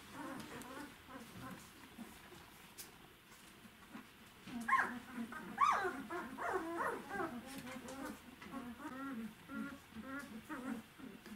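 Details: Five twelve-day-old Czechoslovakian Wolfdog puppies, their eyelids just opening, in a home nursery. Faint, thin squeaking whines and whimpers rise in pitch, clustered in the middle of the recording, over a soft background hiss.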